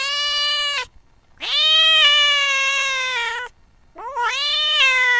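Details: Cat in pursuit of a mouse late at night lets out three long, strained yowls. They sit high and steady, the middle one lasting about two seconds, with short breaks between.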